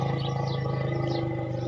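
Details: A mother Asian elephant (Elephas maximus) went into the water and the enclosure ahead of her calf. She stays restless and gives a deep, steady, droning one-pitch rumble, calling continuously for the calf out of fear they will be separated.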